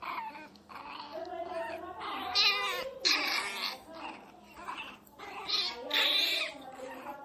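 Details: Miniature Pinscher named Teco, described as angry, crying very loudly: a run of high, harmonic wailing cries in bursts of about half a second to a second, some rising and falling, with brief gaps between them and a person's voice faint in places.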